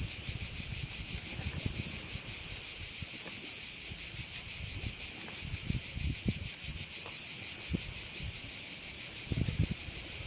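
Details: Cricket sound from a bay view on Korčula: an unbroken, high, rapidly throbbing insect buzz fills the whole stretch, with scattered low wind bumps and faint rustling beneath.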